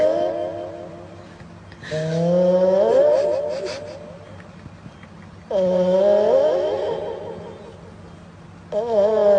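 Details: Domestic cat snoring close to a microphone, each tonal, rising breath sound lasting about two seconds and returning roughly every three and a half seconds, with quiet gaps between.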